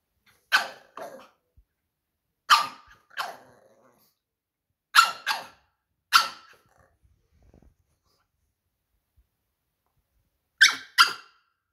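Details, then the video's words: Pug named Jerry, a pet dog, barking while arguing to go outside in winter: short sharp barks, mostly in pairs, in bursts spaced about two to four seconds apart with silent gaps, in a small quiet room. "Pug arguing to go outside in winters"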